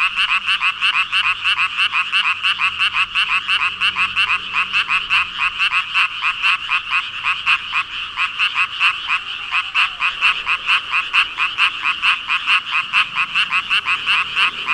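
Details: Thousands of frogs, about 5,000 in all, calling together: a continuous wall of overlapping ribbit-like croaks pulsing quickly and unevenly, bright mid-high tone, a faint low hum underneath early on.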